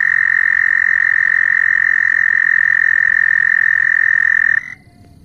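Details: Loud frogs calling: one long, piercing, steady high trill runs without a break for over four seconds, then stops abruptly, leaving faint background hiss.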